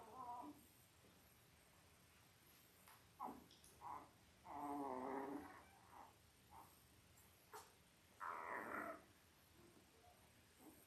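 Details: Five-day-old Labrador Retriever puppies from Belle's litter of eight (five males, three females), born October 15, 2023, on a puppy cam. Short harmonic squeaks and whines arrive irregularly; the longest cries last about a second against a quiet background.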